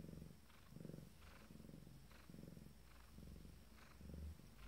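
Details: Purring of a female Abyssinian cat minutes before delivering her first litter, deep rumbling pulses swelling and fading with each breath, roughly five cycles in a few seconds, quiet indoor setting with a soft hiss.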